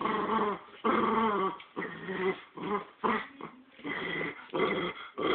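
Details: Two domestic dogs tussling over a squirrel toy, with a steady run of harsh, rumbling growls broken into uneven bursts and a brief whimpering note partway through.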